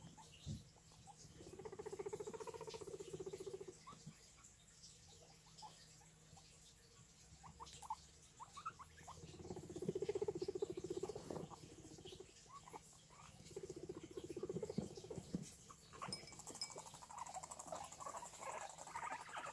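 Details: Guinea pigs indoors giving low, purring rumbles in pulsing bursts of one to two seconds, separated by quieter stretches with soft rustling and patter.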